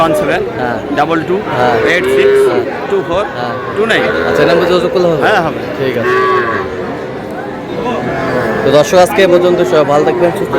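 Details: Young bull calves at a livestock market in Comilla, Bangladesh, on 10 June; repeated drawn-out bellowing moos rise and fall through the clip, overlapping the constant chatter and calls of a busy crowd.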